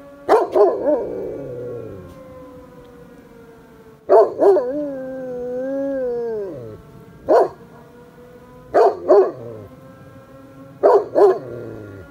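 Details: Gunner, a farm dog rarely heard howling, responds to the village fire siren. Short yelping bursts open and close the passage, and in the middle comes a long, wavering, rising-then-falling howl over the siren's drawn-out tone.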